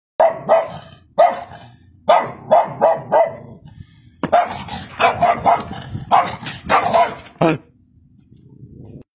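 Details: Dog barking in rapid bursts of two to four sharp, loud barks, with short gaps between groups, followed by a quiet stretch at the end.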